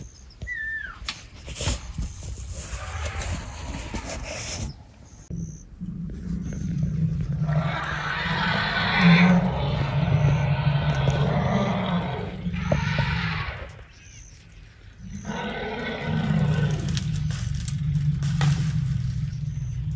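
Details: Herd of elephants purring at night right outside a tent in Tarangire National Park, Tanzania, a sound resembling a big cat. Long, deep throbbing rumbles last several seconds each, with brief pauses and rustling noise between them.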